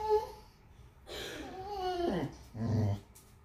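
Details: A boxer dog 'talks' to a miniature schnauzer puppy in drawn-out, wavering whines and groans that slide down in pitch.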